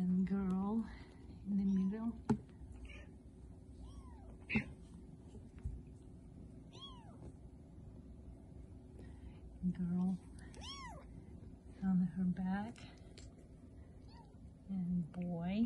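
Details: Three-week-old Bengal kittens, born 13 March 2020 at a registered cattery in Kalama, Washington, playing and exploring. Thin, high mews with arching overtones recur across the clip, some in quick pairs, while a person talks softly nearby.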